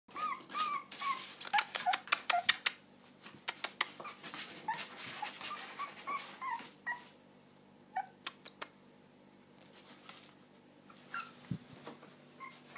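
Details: Springer Spaniel puppy barking, giving high, squeaky little yips and whines amid sharp tapping clicks.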